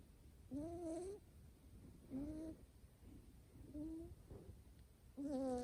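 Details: Male Scottish Fold kitten, folded ears and short coat, born July 2019, in good health, snoring while asleep: whistling, slightly rising nasal tones with each breath, four snores spaced about one to two seconds apart, quiet room.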